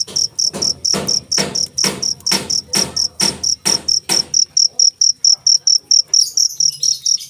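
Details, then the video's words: Shrill cricket chirps repeat at a brisk, even pace of about four per second; heavy knocking noises accompany the first half, then the chirping continues cleanly. "suara jangkrik"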